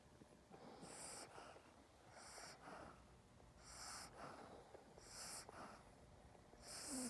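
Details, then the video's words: Chaney, a dog, making his inverted reverse snore while held in someone's arms: raspy, wheezy snorting breaths repeated roughly every second, in a quiet room. "My dogs noises-the inverted reverse snore"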